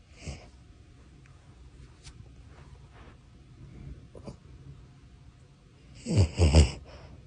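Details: A sleeping Shih-poo puppy snoring: soft, low, wheezy breathing runs quietly through most of the recording, then two loud, rough snorts burst out close together near the end.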